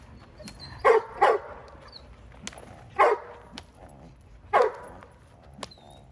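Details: Female Giant Schnauzer puppy in protection work barks in a double, then single barks spaced about a second and a half apart, with faint high squeaks in the background.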